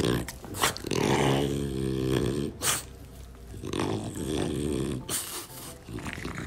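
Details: A French Bulldog growls while its owner play-attacks it. Low, rumbling harmonic growls run almost continuously, swelling into louder grumbling bursts, with a few short sharp noisy breaths or thumps between them.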